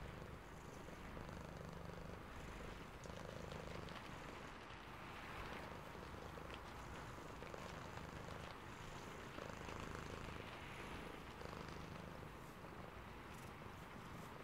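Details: Domestic cat dozing and purring during rain, a clear low rumbling purr in repeated pulsed bouts, each lasting a couple of seconds, over constant rain noise with occasional drips.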